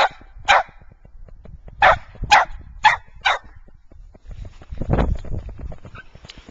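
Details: Fergus, a white Scottish Terrier in Wellsville, New York, gives five sharp, clipped barks within about three and a half seconds, followed by a lower, rumbling noise and softer indistinct sounds.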